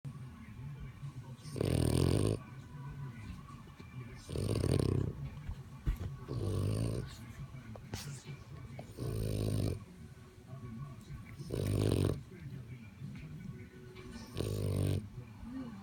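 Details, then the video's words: French bulldog snoring: deep, rumbling broadband snores in regular bursts about every two and a half seconds, six snores in all, with quiet breathing between them. "French bulldog snoring"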